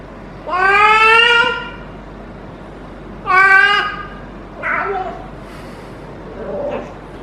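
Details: Female feral cat in her first heat, caterwauling for hours while rolling and being petted. Two long, strong, harmonic yowls about two seconds apart, then two fainter, shorter whining cries trail off.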